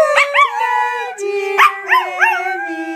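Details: Pomeranian singing along while people sing happy birthday indoors: high, wavering yodel-like howls with arched rises and falls in pitch, several short bursts over a lower steady sung tone.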